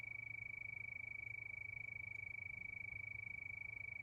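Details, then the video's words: A nighttime cricket chorus: one unbroken high-pitched trill made of fast, even pulses, holding a constant pitch throughout, with a soft low rumble underneath. "Sound of Crickets"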